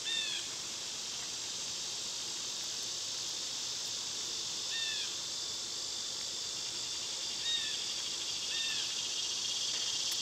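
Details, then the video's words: Summer cicadas in a loud insect chorus, recorded on one of their quieter days: a steady, unbroken high hiss fills the clip, with a few short downslurred bird calls over it near the start and later on. "Cicada sounds"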